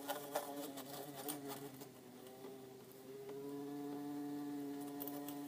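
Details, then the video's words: In an insect tank, two bumblebees, orange-belted and yellow-faced: a steady low hum that dips briefly, then resumes with a clear, higher, sustained buzzing tone over the last half, with a few soft taps early on. "Orange belted and yellow faced bumble bee sound"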